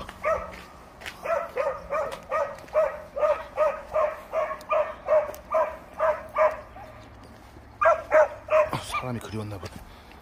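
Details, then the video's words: Chubby pet dog named Tongtong, with friends Nureongi and Huindungi, barking because it wants to play with a new delivery driver; a steady run of mid-pitched barks about every half second, then a short burst, with people talking over it. "멀리서 무섭게 짖던 통통이가 초보택배기사에게 뛰어 온다!"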